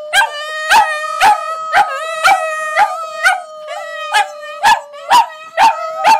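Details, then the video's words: Pet Border Terriers singing with their owner, producing a steady held howl overlaid with rhythmic yipping bursts about twice per second, regular and loud throughout. "Border Terriers Howling"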